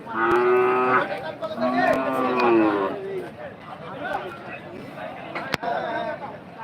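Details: Cattle at the Rohanpur cattle market give deep, drawn-out moos. Two long, strong calls come in the first three seconds, then softer bellows and crowd noise from the busy market, with a sharp knock near the end.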